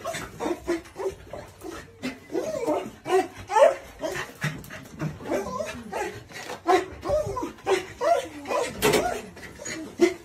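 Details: Excited corgi greeting its owner returning home, giving a long run of high, wavering whines and yelps in rapid bursts, rising and falling, some short sharp squeals, continuous throughout.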